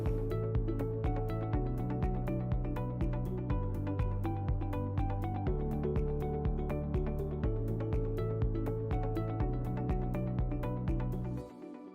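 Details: Steady instrumental music with a regular beat plays throughout, with no animal calls present. Low bass notes and sharp percussive strikes repeat evenly until the music cuts off near the end.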